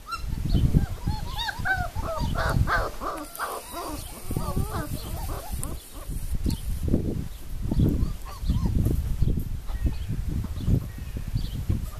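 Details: Puppies aged four weeks whimper in a dense cluster of brief squeaky yelps during the first five seconds, then fall quieter while low thumping, rustling noise continues throughout.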